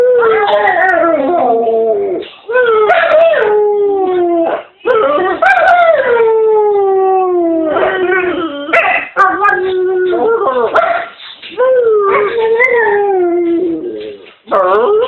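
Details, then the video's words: Domestic dog vocalising sweetly at home with an almost continuous run of wavering whines and howls that slide up and down in pitch. Brief yips and dips break up the long phrases. "My Dog Gonchar Making Steed Noises"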